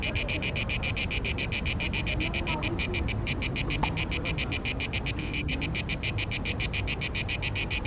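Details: A male Cicada orni cicada sings to attract females during the mating season in Parque Eduardo VII. Its shrill, rasping buzz beats in fast, steady pulses, about three or four each second, over faint background rumble.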